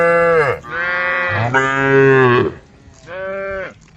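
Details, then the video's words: Tame female cows in a group call the herd with deep, drawn-out moos: a brief falling call, then a long, resonant low bellow lasting nearly two seconds, and after a pause a shorter, steadier moo. "the sound of cows calling the herd"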